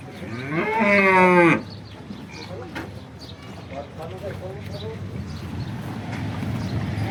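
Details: Horned local cow of Banaskantha, kept on a farm: one loud, harmonic moo lasting about a second that holds steady and then cuts off. Afterwards come faint farmyard noises, low hum and distant voices.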